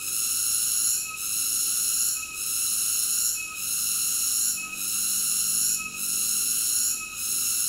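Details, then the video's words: Cicada singing: a steady, shrill, high buzzing drone with layered ringing tones, briefly dipping and swelling back roughly every 1.2 seconds, with no other clear sounds. "Cicada ASMR Sleep Nature Sounds"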